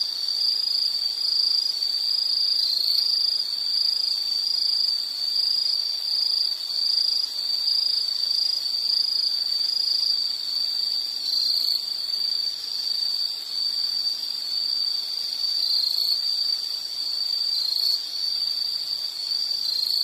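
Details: High, unbroken insect chirring fills this nature recording, a dense pulsing band that barely changes in level; a faint low hum sits far beneath it.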